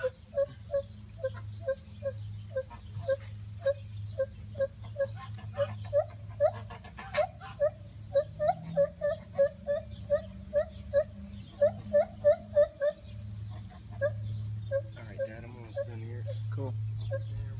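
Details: Loud hooting series from gibbons in trees at Monkey Island Rescue, filmed by cell phone: short clipped notes repeating about three times per second, some upslurred and quickening mid-series, with a constant low droning hum beneath.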